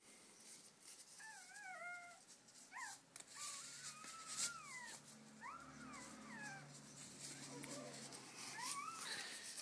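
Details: Newborn Border Collie puppy just after being delivered during its mother's whelping: thin, high whining squeaks that waver and slide up and down in pitch, several in quick succession, over a steady hiss with soft human sounds.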